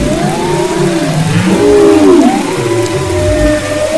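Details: Off west Maui in February 2011, a humpback whale sings long smooth tonal moans with a downward-bending sweep midway, other faint whistles trailing behind, over low continuous sea rumble.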